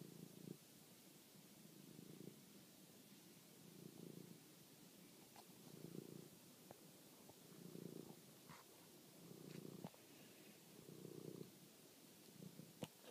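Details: Pet cat named Toby purring at night while hunting a mouse, filmed on a phone; a low rumbling purr in broad bursts about every two seconds, with faint clicks and rustles between.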